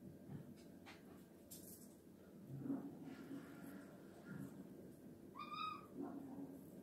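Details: Female house cat making odd sounds while trying to catch a fly. A single short, bright chirping meow rises and falls near the end, after soft rustles and taps.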